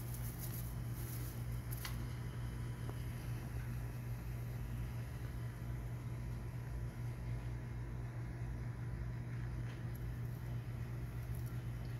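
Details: A steady low mechanical hum, like a fan or engine, fills the clip with no animal calls.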